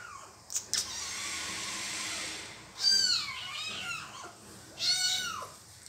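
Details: Small kitten crying for help as the mother cat bites it: two drawn-out, wavering meows about two seconds apart, preceded by a long steady hiss of broadband noise and a couple of sharp knocks.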